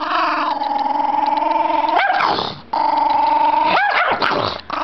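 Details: Pet Chihuahua made angry, holding a long, even, buzzy growl that twice breaks into a sudden high snapping bark before the growl resumes.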